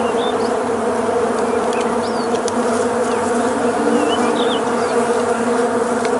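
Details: Western honey bee; swarm buzzing; attacking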